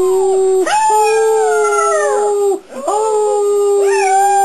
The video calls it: howling puppy